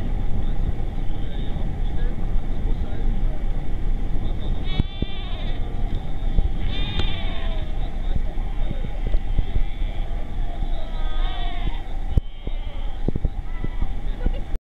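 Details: Seals in a colony, giving wavering, bleat-like wailing calls with quavering pitch, several calls overlapping, over a constant heavy low rumble of wind or surf.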